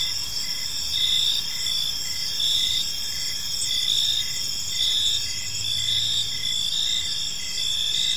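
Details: Evening park crickets forming a dense, continuous high chorus; short pulsed chirps repeat about every half second beneath sustained shrill trills, with a faint low hum in the background.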